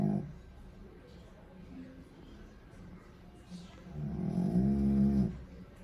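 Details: Sleeping dog giving one long, rumbling, nasal snore that swells toward the end. Quieter breathing and a brief snort at the start come before it.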